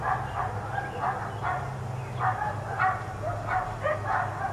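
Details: Dogs left outside all day give clear, evenly spaced barks about two per second, one of four animals kept outdoors, over a faint low hum.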